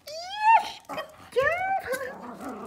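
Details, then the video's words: Pomeranian puppies, one of three kept indoors, barking for treats when told to speak during training: two high, whiny rising yelps with bright overtones, each under a second, then a person's low voice murmuring in a small room. "Pomeranian puppies are barking for treats"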